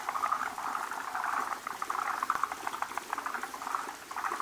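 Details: Forest green tree frogs gather at a spawning site, where many males cluster around a large egg-laden female laying frothy foam egg masses. Dense chatter of rapid clucking pulses overlaps continuously, with brief louder bursts throughout.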